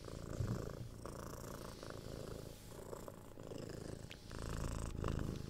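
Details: Six-month-old kitten purring as it receives head scratches and soft kisses; deep, close rumble pulsing rapidly, swelling and fading with each breath, faint scratching clicks above.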